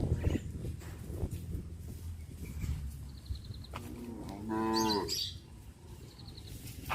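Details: Tame village cows roaming leisurely; a single harmonic moo rises and falls near the middle of the clip, over a steady low rumble and background noise.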